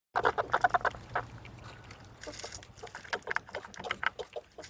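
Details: Eastern red squirrel at a Minnesota feeding station, 6:30 p.m. on 1 May 2013, scolding grey squirrels to keep them away while it eats seeds; rapid harsh chattering bursts come in tight clusters, then looser scattered bursts, with a brief rustling noise midway.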